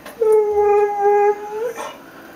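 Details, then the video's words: Female Mexican hairless dog (Xoloitzcuintli) singing for her supper, begging for chicken: one steady, level tonal howl lasting about a second and a half, ending in a slight upward inflection, then quiet. "Xolo, Mexican Hairless Dog Sings for Her Supper"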